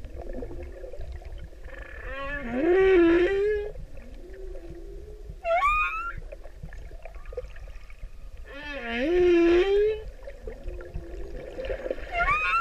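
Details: A male humpback whale in the Pacific sings to a female, long, wavering moans that swoop upward into bright, squealing whistles.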